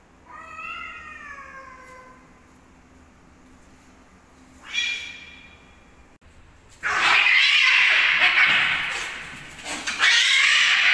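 Fighting cats give drawn-out, falling yowls, then erupt into loud hissing and spitting.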